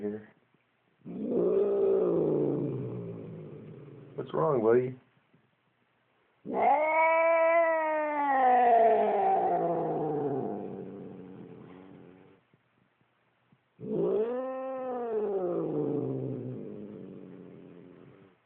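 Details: Upset house cat growls at its owner with three rising-then-falling yowling growls, each several seconds long and separated by brief silences, plus a short sharp yelp near the start of the second call.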